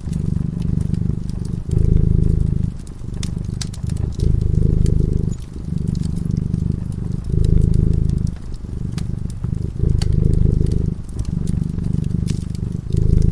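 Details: Sleeping cat dozing before a cozy crackling fireplace, purring steadily in low rumbling cycles, each inhale and exhale lasting roughly a second and a half, with sharp pops and clicks of the fire scattered throughout.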